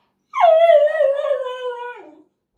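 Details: Male dog left behind while someone goes to the mailbox, voicing fear of missing out: a single sustained, harmonic, howl-like whine about two seconds long, holding steady and then sagging lower at the end.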